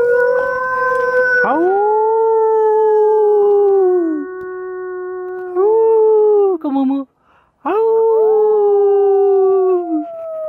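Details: Wolf in a close encounter with people, howling in three long, smooth, tonal notes. Each swoops up sharply, then holds and sinks gently over several seconds. Short pauses separate them, and faint voices are heard between.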